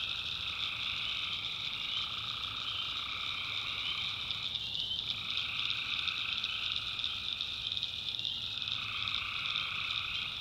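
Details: Tree frogs at night in a North Carolina backwoods swamp. A continuous massed trill rings high and constant, and a lower throbbing band of calls breaks off briefly around the middle and again near the end.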